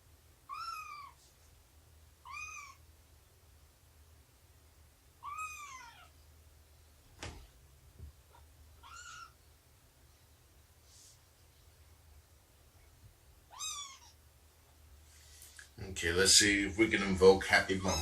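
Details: Morning meows from Shelby, a roughly two-year-old cat abandoned just before giving birth, during snuggles, nursing and play time: about six brief, arched meows, each falling at the end, with a loud burst of rustling at the close.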